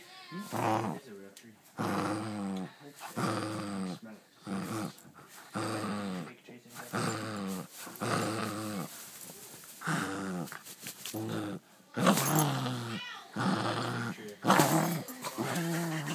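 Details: Pet dog playing with his new toy, making strange gremlin-like vocalizations: a steady run of voiced, warbling growl-moans in short bursts about every second or two, with wavering pitch and harsher, louder outbursts toward the end.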